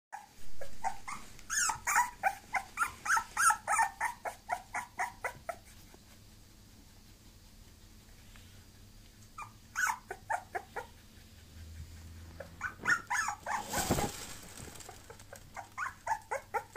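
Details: Bulloxer, a mixed-breed dog, indoors: rapid bursts of short, sharp yapping barks repeated several per second, pausing, then resuming, with a loud rustling crash near the end.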